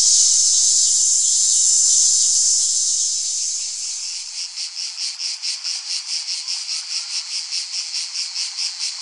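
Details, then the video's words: A cicada opens with a continuous, loud, high hiss that fades over a few seconds and then settles into a pulsing buzz beating roughly twice per second. "Tiếng ve sầu kêu"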